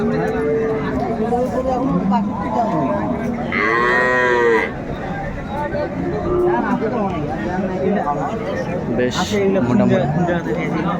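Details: Indian Hariana bullocks at the Ambari cattle market in Dinajpur, Bangladesh: one long, deep, harmonic-rich moo of about a second rises and falls midway through, set among steady buyer and seller chatter and crowd babble.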